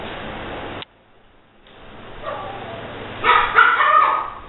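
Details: A female Pomeranian named Precious, a newly fostered dog, gives a quick cluster of high, sharp barks near the end after a stretch of quiet indoor room hum.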